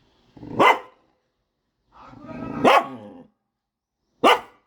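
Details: Household dog barking at the leafy-greens vendor, as it does every day: three sharp barks spaced one to two seconds apart, the middle one drawn out with a growly lead-in.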